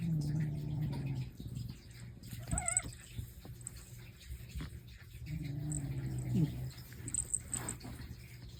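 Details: Snoring from a domestic cat kept at home with its companion cats Mei and Totoro. A low, throaty snore opens the clip and returns about five seconds later. A short wavering higher squeak sounds in between, with light room noise.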